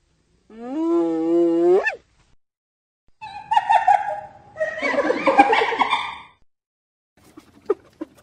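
A hyena gives a drawn-out rising whoop, then harsh, chattering cackles.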